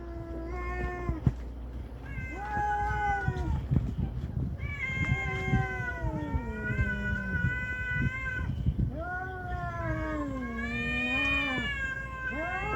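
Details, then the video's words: Cats fighting outdoors on Aoshima, a Japanese cat island: long drawn-out yowls rising and falling, overlapping between animals, some wavering and low, with steady low rumbling background noise. "猫のケンカに遭遇 Cat island Encounter a cat fight"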